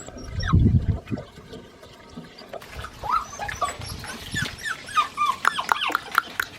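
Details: Young Australian Shepherd puppies, seven weeks old, at a breeding farm: a low thump and rustle first, then a busy stretch of overlapping high whines and yips from several pups.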